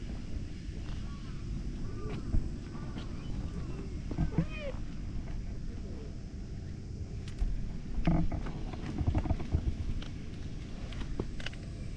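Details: Boss cat calling loudly as its follower cats come gathering around: several short, arching meows rise and fall during the first half, set against a steady low rumble of traffic and wind, with scattered clicks and rustles afterward.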